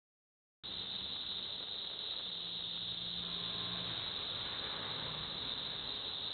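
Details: Cicadas in Villa Park, Illinois, producing a continuous dense high buzzing drone that starts abruptly and holds steady, with a faint low hum in the background.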